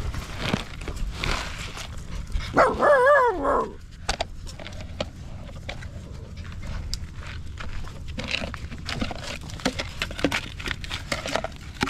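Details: Stray puppy crying for help while held in someone's arms: one loud, high, wavering whine lasting just over a second, rising and falling with clear overtones, set against steady rustling and handling noise outdoors.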